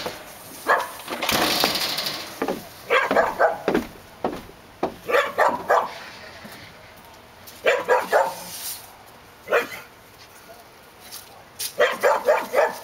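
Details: Dogs at Park Drive barking in quick bursts of three or four sharp barks, separated by pauses, with a brief rushing noise near the start.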